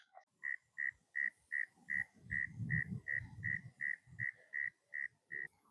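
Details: An evening chorus of frogs in the reeds at Back Bay National Wildlife Refuge, Virginia Beach, Virginia, calls all around with short, high, peeping notes repeated steadily about three times a second.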